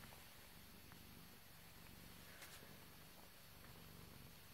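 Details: A British Shorthair cat (Felis catus) purrs steadily, a low, rumbling, finely pulsed drone.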